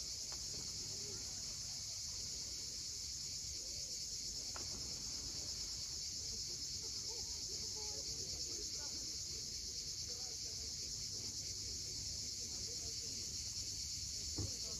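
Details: Sunset cicada chorus on Crimea's steep coast at Cape Fiolent, a continuous high, even buzz without pauses, with faint low rumble, perhaps waves, and a few soft clicks beneath it.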